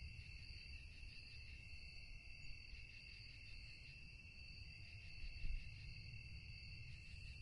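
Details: Crickets chirping at night: a steady, dense high-pitched trill in several stacked bands with a fine pulsing rhythm that runs unbroken through the clip, over a low rumbling background noise.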